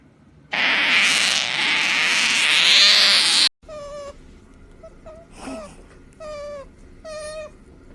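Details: Genki the otter, being pampered, makes a funny noise; a loud rushing hiss for three seconds, then about five short, high squeaky chirps spaced irregularly.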